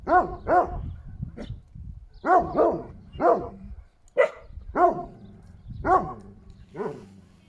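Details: Šarplaninac dog giving a run of about a dozen deep, harmonic barks, some paired, spaced irregularly across several seconds.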